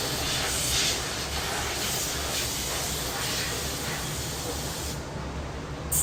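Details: Summer cicadas in a quiet Korean city back alley: a dense, steady buzzing hiss fills the high range without pause, with a soft low hum of the city underneath and a brief dip in the buzz near the end.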